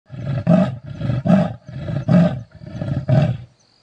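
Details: Leopard growling: five rough, low, rasping bursts, each about half a second long and repeated roughly every 0.7 seconds, rumbling deep with a harsh grating texture, then silence at the end.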